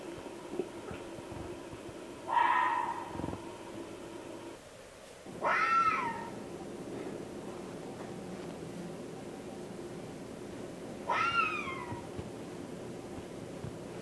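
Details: Fox calling at night in a Northern California forest, recorded on the Redwoods 2010 expedition: three separate harsh, rising then falling screams spaced a few seconds apart, each ending in a small trill, over steady low background hiss.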